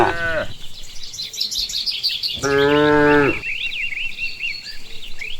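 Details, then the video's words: Cows walking home along a village path after grazing on nutrient-rich grass: a brief moo tail at the start, then one full, resonant moo lasting about a second, with busy birdsong chirping behind. "the original sound of cows"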